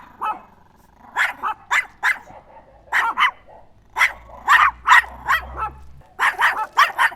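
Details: Chihuahua yapping repeatedly, sharp high barks coming singly and in tight pairs, growing denser toward the end, over a soft low background hum.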